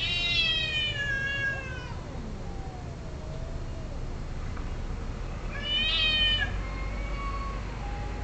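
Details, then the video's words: Cats caterwauling while mating: two loud arched yowls at the start and near six seconds, with quieter wavering moans between them and a low continuous hum. "Cat Orgy II"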